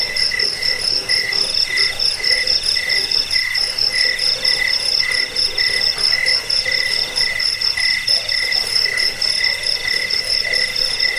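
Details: Crickets, used to repel rats, to lull listeners to sleep and as tutor sound for songbirds. Several crickets chirp together in a dense chorus, with pulsed high chirps and a steadier, shriller trill running throughout, no other sounds.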